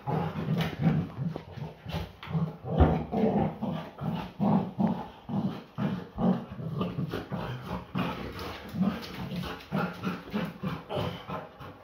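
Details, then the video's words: Play-fighting Belgian Malinois female giving rapid pulsed growls, about two or three bursts a second, deep and rhythmic, with thumping and scuffles in a small room. "Malinois never backs down from a (play)fight!"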